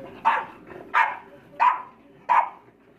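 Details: Four-month-old English Bulldog puppies play-fighting in a royal rumble, giving four sharp, mid-pitched barks spaced roughly two-thirds of a second apart over a quiet background.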